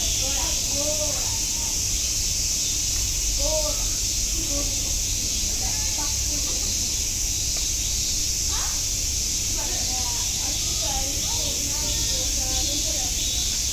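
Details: Continuous high, hissing buzz of cicadas at Nogeyama Zoo fills the background without pause, with several human voices chatting intermittently in front of it.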